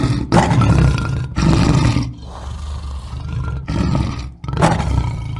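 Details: Lion roaring in deep, rough bursts, each lasting about a second and separated by short pauses, with a lower rumbling growl running underneath between them.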